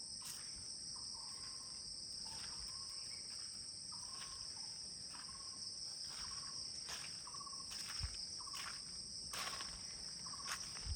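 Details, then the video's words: Crickets calling all around at 10 in the morning at the CRP guest house in Kulaura, Moulvibazar, Bangladesh: a steady, high, unbroken shrill drone, with short, soft whistled notes repeating roughly every second beneath it and scattered clicks. "চারদিকে শুধু ঝিঝি পোকা ডাকছে, কিন্তু এখন সকাল 10টা।"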